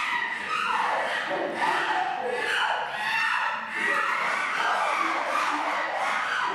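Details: Before feeding time in a chimpanzee enclosure, young male Kibali makes noise below while leader Jambo patrols: continuous shrill, wavering screams layered over one another, swelling and fading without pause.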